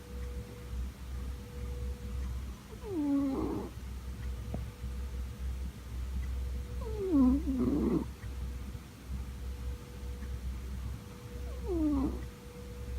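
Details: Scottish Fold cat born 31 July 2004, snoring indoors; three voiced, wheezy snores, each sliding downward in pitch, arrive about every four to five seconds against a steady low hum.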